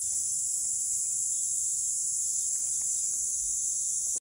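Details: Kaempfer cicada (Platypleura kaempferi) in Saitama Prefecture, Japan, on July 22, 2022, sings a steady, high-pitched buzzing drone that carries on without a break.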